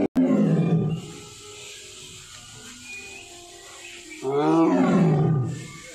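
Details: White tiger roaring: a short gruff burst at the start, then a long quiet stretch before a loud, throaty roar that rises and dies away, with music playing in the background.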